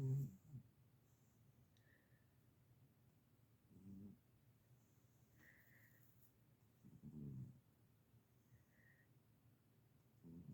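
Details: A sleeping pet cat named Marlowe snores: soft, low, rasping breaths rise and fade roughly every three to four seconds, with quiet room hum between them.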